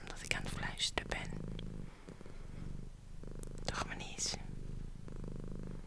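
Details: Domestic cat, female, purring as her owner whispers into an ASMR microphone: a low, even, throbbing purr, briefly broken by whispered words and small mouth sounds.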